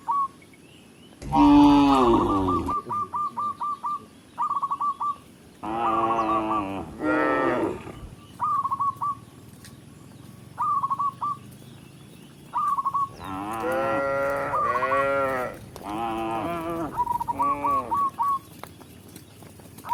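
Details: Tame cows led by a village shepherd back to their pen in the countryside give several loud, drawn-out moos, some deep and some higher, between bursts of rapid, high, short chirps repeated in quick runs.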